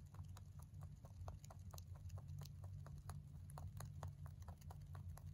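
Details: Crunching of hay by a male mini rabbit born in November 2020: brisk, steady series of crisp chewing clicks across the whole stretch over a strong low hum.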